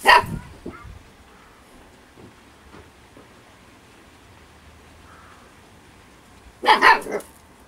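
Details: Storm, a young female Husky puppy aged 8 weeks, overly playful and having fun. She gives a sharp, bright bark at the start, a few soft grunts follow, then a loud burst of two or three quick yipping barks near the end over a low background hum.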